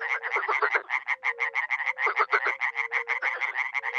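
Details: At sunset in spring, dozens of frogs and toads croak at a small pond in a NE Romanian village in a dense chorus, with rapid rasping croaks over short, low, mellow hooting notes.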